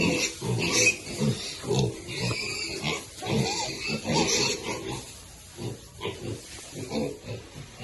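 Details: Baby pigs eating: short, low grunts come in quick uneven bursts about every half second, some with higher squeaky edges, over chewing and rustling noise.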